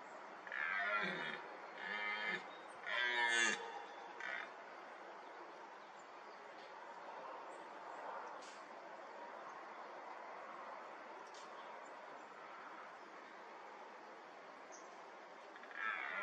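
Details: Red deer stag, a fourteen-pointer, during the rut in a young oak wood: two harsh, groaning roars rich in harmonics in the first four seconds, then steady background hiss with faint bird calls, and another roar beginning at the end.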